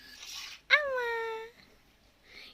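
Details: A kitten left abandoned on the road and now hand-fed milk indoors gives one drawn-out mew of almost a second, sharply rising at the start and then sliding down into a long, steady, slightly falling tone, with soft human talk just before and after.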